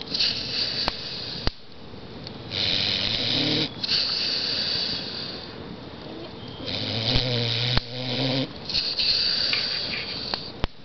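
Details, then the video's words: Bubba, a pit bull, snores while sitting in a chair on a camping trip: long, rasping, droning snore bursts of a second or more, separated by brief quiet breaths, with a few sharp clicks between. "Bubba the pitbull snoring"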